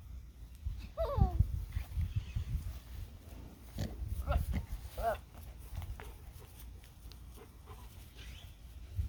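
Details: A Nigerian Dwarf buck acting silly gives short, wavering bleats that slide downward, among low grunting rumbles.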